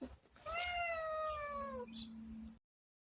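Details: Housecat from a group of six cats compared for their voices, uttering a single drawn-out meow that holds its pitch and then drops slightly, followed by a brief low hum before the sound cuts off.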